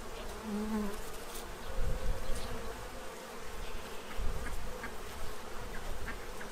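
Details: In Central Illinois, bees feed at a tray to prepare for winter, giving a continuous low buzz that swells louder after the first two seconds, with light ticking sounds.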